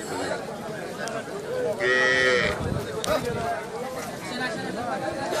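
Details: Friesian cow, offered for sale with her Friesian bull calf and giving 8 litres of milk a day, recorded 18 March 2018: one short, loud, harmonic moo partly overlapped by people talking nearby.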